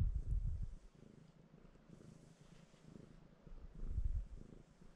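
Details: Pet cat resting on its owner, purring and seeking strokes; heavy, close low rumble, loudest in bursts at the start and near the end, with a quieter steady purr between.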